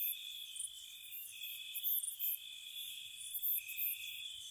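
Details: Crickets chirping on a spring night around a cottage: a steady high trilling drone, with brighter, sharper chirp bursts flickering above it every second or so. No other sounds.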